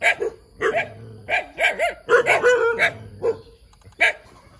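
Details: Puppy barking eagerly, short yappy barks in clusters with a brief whine between them, loud and close, nothing else heard.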